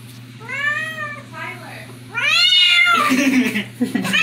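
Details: Female house cat meowing as she is teased by her owners: two drawn-out, arching meows, then a noisy burst with a rough, scratchy tail, over a low steady hum.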